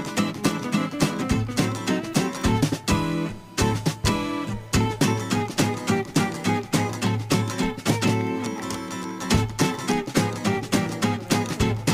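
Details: Loud strummed guitar music fills the whole stretch, with no animal voice.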